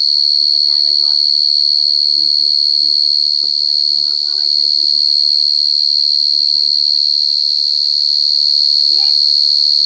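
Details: Cricket singing close and loud: a steady, piercing high trill that pulses rapidly without a break for the whole stretch, while faint lower chatter and voice-like sounds drift underneath.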